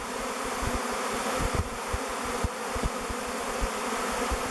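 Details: Swarming bees circle a log hive, Bee Beard, they are selecting as a new home, thousands flying together; a continuous layered drone holds steady while soft low bumps and rumbles come and go.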